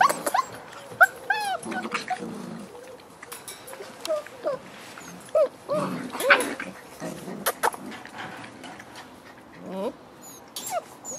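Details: A litter of Frenchie x wolf puppies at six weeks, scattered squeaky whines and short yips in a busy mix with a person talking and handling noise.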